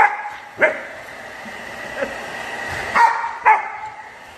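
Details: Four-month-old Rottweiler puppy that dislikes a hairdryer and attacks it on sight, giving a few short, sharp barks spaced irregularly over the steady whine of the running hairdryer.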